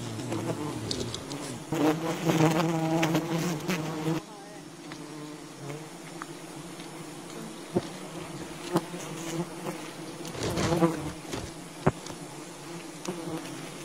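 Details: Wild honey bees from a colony being harvested, a loud buzzing burst in the first four seconds, then a quieter hum with occasional knocks and another swell of buzzing near eleven seconds.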